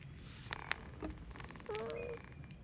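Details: A brown tabby cat and a tortoiseshell cat argue from a cautious distance. A few soft clicks and taps come first, then a brief, steady, nasal moan of about half a second near the end.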